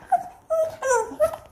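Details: Leo, a four-year-old pet Pomeranian described as always hungry, indoors at a family home: three short, high, whistled whimpers, each bending slightly downward, in quick succession over about one and a half seconds.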